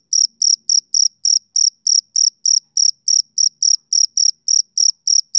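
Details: A male cricket chirps through a summer evening, each high, buzzy pulse slightly drawn out and repeated about three times a second in an even rhythm.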